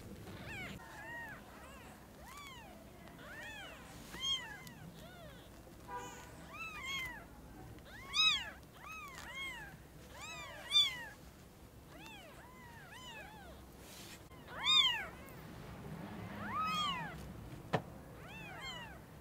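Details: Newborn kittens, eyes newly opened, seeing their mother cat for the first time: many short high arched mews overlapping from several kittens, rising then falling, in quick irregular bursts over a quiet room background.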